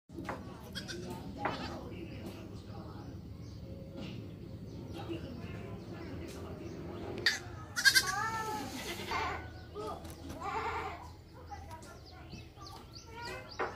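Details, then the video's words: Goat with its kids: a loud, wavering, harmonic bleat rises out of steady low background noise around the eighth second, followed by a few fainter cries. "The Sound Of Goat/ Suara Kambing & Anaknya"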